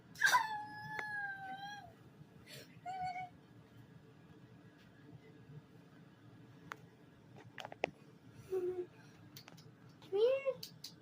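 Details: Kitten making funny sounds indoors: a clear harmonic meow near the start with a long level tone lasting over a second, a short call around three seconds, then rising upswept meows near eight and ten seconds, with quiet background between.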